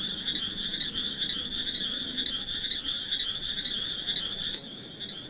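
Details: Frogs beside mossy wet rocks where snails also crawl, giving an unbroken shrill, rapidly pulsing trill in a steady chorus, softening briefly near the end before continuing.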